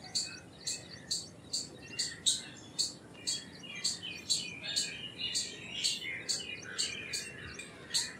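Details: Indian palm squirrel calling with sharp, high, clicking chips, about two each second over eight seconds, each chip trailed by a softer lower squeak; steady and insistent against a quiet background hiss.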